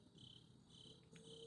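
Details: Crickets chirp in steady, high, pulsing trills on a Sunday night, with a sharp click at the very end.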